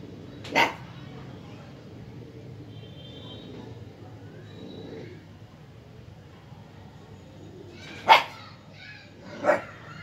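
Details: Siberian husky puppy, 50 days old, playing and tussling with a toy monkey; three short, sharp yipping barks spaced far apart, near the start and twice near the end, over a steady low room hum.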